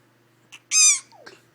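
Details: Three-month-old puppy named Bentley, finding his screech and loving it, gives one loud, shrill, harmonic screech lasting about a third of a second, with faint short squeaks just before and after it.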